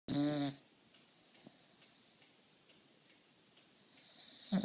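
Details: Sleeping English Bulldog snoring: one short, loud, rasping snort at the start, then near quiet with faint soft ticks, and another snore starting to swell at the very end.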